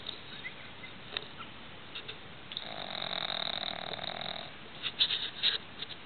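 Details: Sleeping pug Roxy at night in a quiet room: one long harsh snore of nearly two seconds, framed by short snuffling sniffs and soft wheezy clicks of breath.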